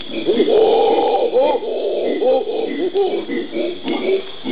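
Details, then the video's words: Howler monkeys (genus Alouatta) in the Pantanal, Brazil, recorded 13 January 2011: a deep, moaning, wavering howl with tonal rising and falling swoops, continuous and loud over four seconds, with a faint higher hiss behind it. "Howler Monkeys-monos aulladores"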